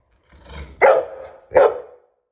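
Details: Pit Bull complaining and crying to be given a new toy: two short, strained, whiny barks about three-quarters of a second apart, each rising then trailing off, after a soft low grumble.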